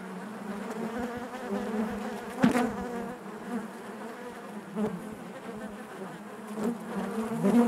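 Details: Steady collective buzz of honey bees within the hive, low and even, with one sharp close pass near 2.5 seconds and smaller surges later, ending with a louder nearby bee.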